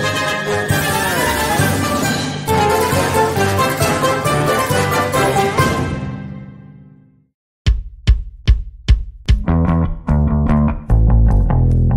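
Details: Loud instrumental music fades to a brief silence, then plucked and percussive notes return in a rhythmic burst.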